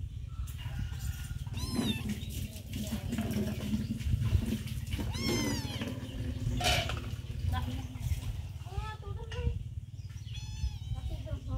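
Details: Hungry mother cat named Sross with her baby kitten, staying close to food; several high, arching meows come in short bursts near the start and again toward the end, over a steady low hum with faint voices.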